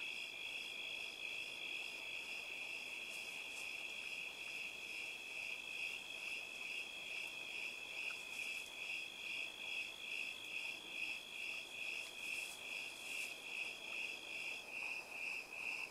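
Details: Crickets singing together in an orchard of mostly plum trees with an apple tree and ponderosa pines; steady high pulsing chirps at about two per second, a second continuous trill overlapping for most of the recording.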